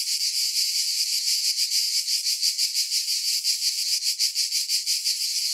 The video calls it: Relaxing Cicada Sounds - Black Screen